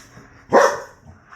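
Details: Titus, the American Bully sire, lets out one loud, sharp bark after his six-week-old pups bite him while they harass him. A brief, forceful single note, with quiet room sound before and after.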